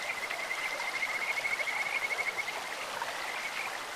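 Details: Kajika frog at a clear stream producing a quick, bird-like trill of evenly pulsed high notes for about two seconds, with rushing water in the background.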